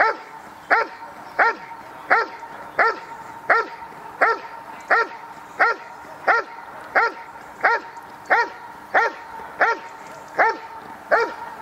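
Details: Dog barking during protection work at a 2016 dog sport trial: steady, loud barks repeated at an even pace, roughly every 0.7 seconds, with a low constant hum in the background.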